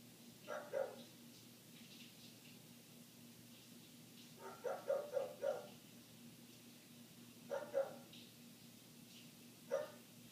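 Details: Persistent barking from a neighbour's dog, muffled by closed windows: a pair of barks, a quick run of four, another pair, then a single bark, separated by pauses, with a steady background hum.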